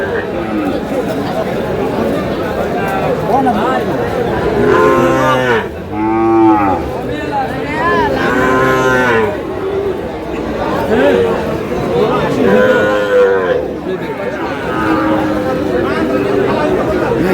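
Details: Sahiwal bull calves at a livestock market, bought by a farmer from Sherpur on 22 July: long, drawn-out moos, some rising then falling, repeated several times over crowd chatter and men talking prices.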